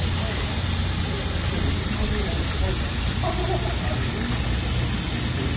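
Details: Loud midsummer cicadas in a heatwave, one constant piercing hiss with no pauses, over a low rumble and faint murmuring voices.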